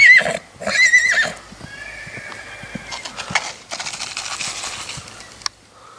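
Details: Six-month-old black Lusitano filly, purebred, gives loud, shaky, high whinnies in the opening second. A softer, drawn-out tonal neigh follows, and broadband rustling and scraping noises continue to the end.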